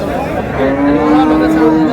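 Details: Cow with calves at Ambari market (haat), Dinajpur, August 7, 2026: one sustained, steady low moo that holds an even pitch for nearly two seconds, over a soft murmur of market background noise.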